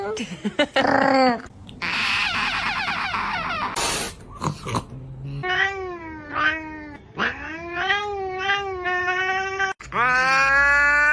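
A domestic cat utters a series of long, wavering meows, each bending up and down in pitch with a nasal, almost yowling quality. Brief noisy bursts and a person's voice break in early on.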